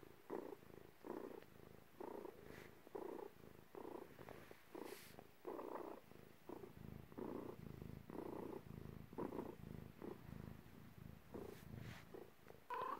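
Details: A domestic cat giving birth purrs steadily indoors, a low rhythmic rumble pulsing about twice a second in even in-and-out cycles, close and clear, with a brief rising squeak at the very end.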